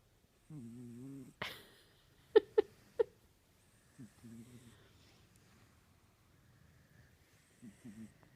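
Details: Sleeping kitten gives a low, buzzy snore, then several sharp clicking bursts that could be a woman giggling, followed by softer, fainter snores near the middle and end.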